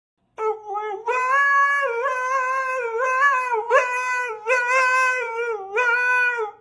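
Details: Dog 'singing' indoors: long, sustained tonal howls, rich in harmonics, with wavering pitch that steps up and down across several drawn-out phrases, filling the room with little background noise.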